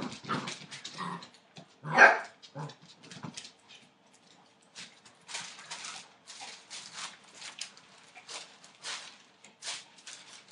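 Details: Litter of eight-week-old Entlebucher Mountain Dog puppies born 28 December 2013; one louder yelp near the start among softer whines and barks, followed by a run of faint scuffling and rustling.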